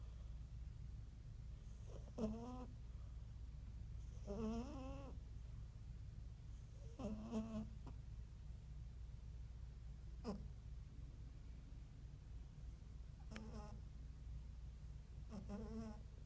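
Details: Himalayan cat named Malcolm snoring while asleep, waking himself up; short wavering nasal snores recur every two to three seconds, each a brief rising buzzy burst over a steady low hum.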